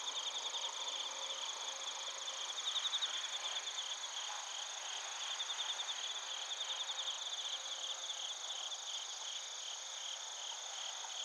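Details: A night chorus of bell crickets and crickets in Narita, Chiba, Japan, captured with a TASCAM Portacapture X8. Bursts of quick, high, pulsing chirps come and go over a constant ringing insect drone and faint background rumble.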